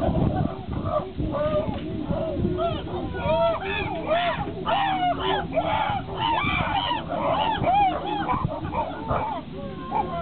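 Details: Chimpanzees during a fight between Higgy, who is upset, and Juniper, with the rest of the group joining in: a loud overlapping chorus of arched, rising-and-falling screams and hoots, several callers at once over low rumbling background.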